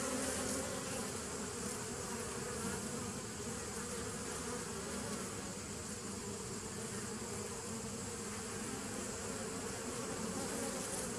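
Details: Continuous droning of many bees, 27 September 2018: layered low tones hold steady beneath a broad airy hiss, with no pauses or other voices.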